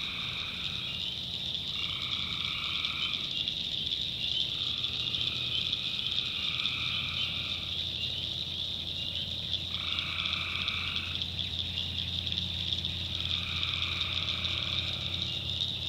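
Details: Night chorus of tree frogs in North Carolina backwoods swampland: a constant shrill hum overlaid by distinct buzzy trills of one to two seconds, recurring at irregular intervals of a few seconds.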